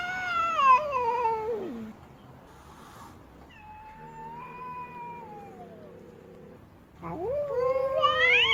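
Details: Female cat yowling in displeasure: a descending wail, a softer drawn-out mid-pitched moan, then a steeply rising, loud strained cry at the end.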